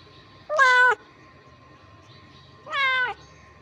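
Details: Hungry ginger kittens fighting over food give two loud harmonic meows, each about half a second long and separated by roughly two seconds, with a steady faint background hum between the calls.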